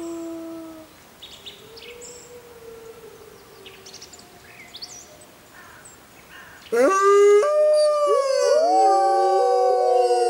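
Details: Gray wolves howling in the jungle on a full-moon night: first a few faint drawn-out tones, then a loud chorus of overlapping, sliding howls.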